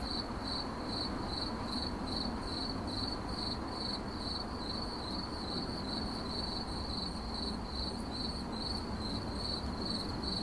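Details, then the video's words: A cricket chirps in 8D audio, its sharp high-pitched pulses repeating around two and a half times per second, slightly uneven, above a steady wash of low-frequency noise. "CRICKET CHIRPING"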